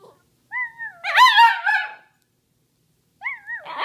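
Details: Pet Samoyed called Sammy howling with its owner: a rising then falling wavering howl, a louder harmonic-rich wail in the middle, then another short sliding howl starting near the end.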